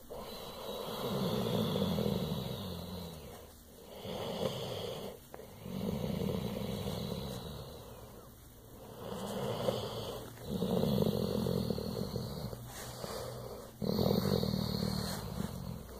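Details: Pit bull making a low, rumbling purr-like sound in slow waves of breathing, each rough fluttering stretch lasting a few seconds with brief pauses between them.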